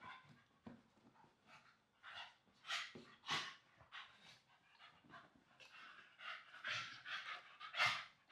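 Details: English Staffordshire Bull Terrier pups rolling around together on a soft blanket; heavy panting mixed with short grumbling growls in uneven bursts, louder toward the end.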